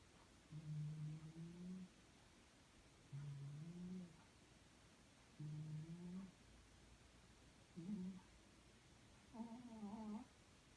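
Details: Little pet cat named Kitty asleep indoors, snoring loudly like a tank: low rough rumbling breaths in bursts of about one to one and a half seconds, repeated roughly every two to three seconds, with quieter gaps between.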